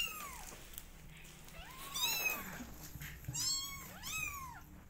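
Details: Twenty-day-old kittens in a cat family meow repeatedly, four arching high-pitched cries within five seconds, one partly overlapping another, with a low steady hum underneath.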